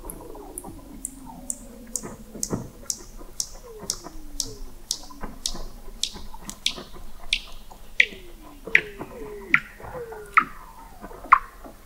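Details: Weddell seal song recorded in November 2017 beneath the sea ice of McMurdo Sound, Antarctica: a rapid series of about twenty sharp descending sweeps, roughly two per second, over low curving moans.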